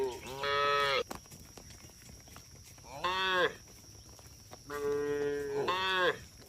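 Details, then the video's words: Roaming cattle on a road calling repeatedly, four harmonic moos, some long and sustained, others shorter and arched, spaced a second or more apart, with low background noise. "Rombongan sapi berkeliaran di jalan suara sapi bunyi"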